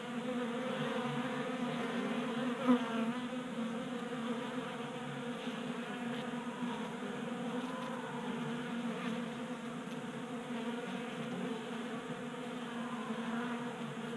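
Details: A crowd of honey bees feasts at a 3D-printed table feeder in a garage in Colorado, January, around 60 degrees; an even, multi-layered buzzing drone with one sharp close fly-by near the start and faint ticks.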